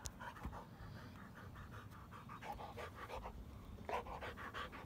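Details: Tired Rottweiler breathing hard after a bout of running and play: quick, airy pants in short even bursts. A low background rumble sits underneath throughout.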